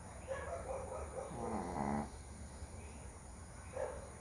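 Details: A dog snoring loudly while asleep outdoors at night: rough, rattling breaths with a longer rasping snore in the middle, between softer nasal puffs.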